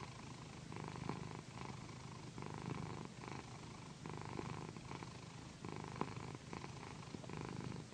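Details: Pet cat named Pandy, a female and a loud purrer, purring while being massaged on a satin pillow indoors; steady low rumbling purr in rhythmic breath-paced bursts, with faint rustling of the satin fabric.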